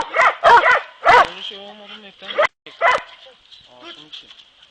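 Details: Kopoy and Barak hounds training for boar hunting: three quick barks, a pause with a man speaking, then two more barks and faint voices fading away.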